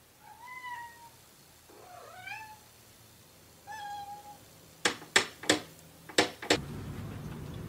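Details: Domestic cat meowing while its owner talks to it indoors: three separate drawn-out meows, the second rising then falling, followed by several sharp knocking or tapping sounds.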